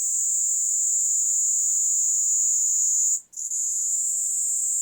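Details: A Kaempfer cicada (Platypleura kaempferi) sings while held on a hand in Kanto, Japan, on 26 July 2022: a steady, high, hissing buzz that breaks off for a moment before resuming.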